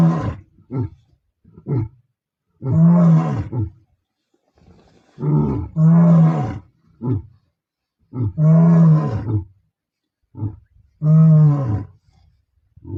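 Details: Lions of the Bila Shaka Boys group roar not far from R5: deep, moaning bellows repeated in rising bouts, each broken by short grunts.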